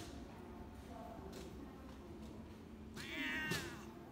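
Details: Black-and-white tuxedo cat that turns affectionate when approached, recorded 13 November 2022; after a quiet stretch comes one short, bright meow with a wavering pitch, followed by soft background rustling.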